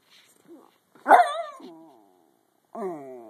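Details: Schnauzer singing a sad song: short nasal whines, then a louder wavering, falling howl-like cry that trails off, and a final sustained, mournful note at the end.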